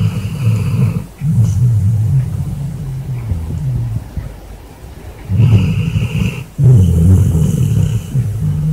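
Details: A basset hound sleeping in bed after a long, hard day snores loudly. Rough, low rumbling breaths run in drawn-out waves, broken by short gaps where the sound drops away before the next heavy snore.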